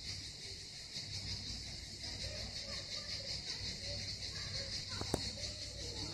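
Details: Unbroken high buzzing of cicadas by the harbour at Miskhor, Yalta, on the Southern Coast of Crimea, with low background hum, faint voices and a sharp click near the end.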